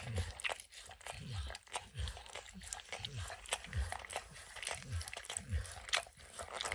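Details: Max the dog laps at peanut butter and kibble in an orange mat, producing rhythmic wet licks roughly every second or so, each with a deep mouth thud and bright sticky click, no talking.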